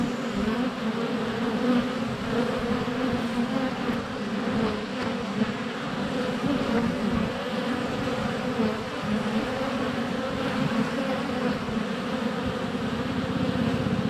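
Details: Swarm of honey bees in flight at a hive entrance during sunny February weather, GoPro less than a foot away; continuous droning hum, thick and even, with bees occasionally landing on the camera.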